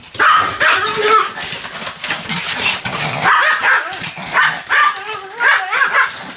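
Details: A Pomeranian named Sam keeps up continuous barking, with high yapping barks and wavering whiny tones, and a human voice mixed in.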